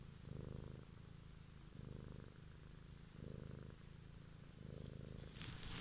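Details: Cat recorded purring one evening for ASMR; low buzzing purr in four louder swells alternating with quieter breaths, ending in a burst of rustling.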